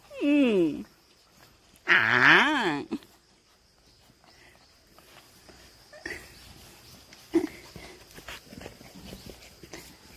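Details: Black-and-tan and yellow pedigree Jindo puppies, one pestering and biting its mother: two loud wavering whines with arching, rising-and-falling pitch in the first three seconds, then quiet shuffling, footsteps and soft human speech.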